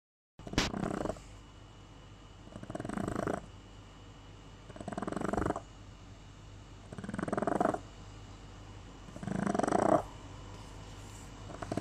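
A Boston Terrier snores in rough, rattling breaths, each lasting about a second and coming every two seconds.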